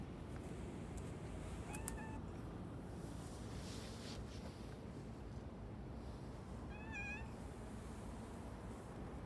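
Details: A brown-tabby-and-white cat in Sumiyoshi, Hakata, Japan, crying in a sad, plaintive way: two short, falling meows several seconds apart, one early and one late, over a steady hiss of background noise.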